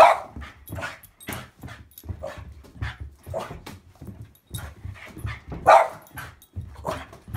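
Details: Excited Boston Bull Terrier in a game of monkey in the middle with a football, giving steady short barks and whimpering yelps roughly every half second, with a sharper peak late on and dull low bumps beneath.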